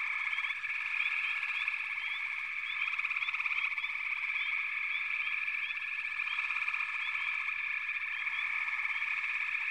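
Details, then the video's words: Continuous frog chorus, an even, buzzing wall of trills with scattered chirp-like notes rising briefly above it and no clear pauses throughout. "FROGS - Pig Frogs, Water Frogs, Backwater Chorus, & Frog Chorus"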